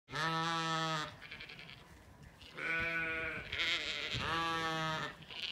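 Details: Zwartbles ewes on a farm in County Kilkenny, Ireland, calling at feeding time on a sunny day in an orchard: three long, steady, harmonic bleats about a second each, separated by short pauses, with faint background noise.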